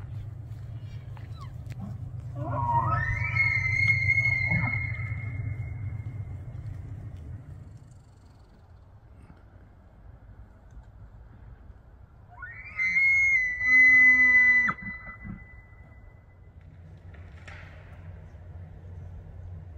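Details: Bull elk bugling during the September autumn rut in Banff, Alberta, Canada; two bugles, each climbing from a low groan into a long, piercing, high whistle. Bulls bugle to attract and control females and to warn rival bulls they will fight.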